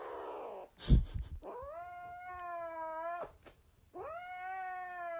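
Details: Domestic cat indoors giving two long, drawn-out meows, each sliding upward and then holding steady and tonal, separated by a short pause, with a sharp knock or bump sounding just before the first call.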